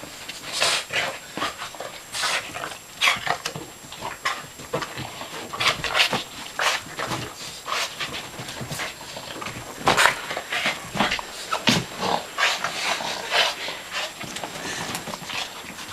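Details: Riley, a dog facing off with a shark, keeps up a run of rapid, rough, breathy pants and sniffs in uneven bursts, with a faint whimper now and then, heard close in a small indoor space.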